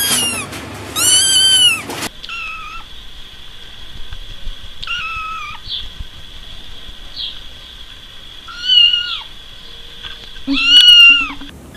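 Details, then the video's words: Pet cat producing a pair of loud meows, then softer drawn-out mews over a steady high electronic whine, ending with two more strong arched meows. "Vidio kucing mengeong lucu"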